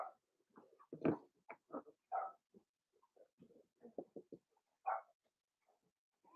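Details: Daisy's litter of five-week-old Cavalier King Charles Spaniel puppies in their indoor pen, a busy run of short yelps and whiny yips, almost one per second, some louder squeals among softer murmurs.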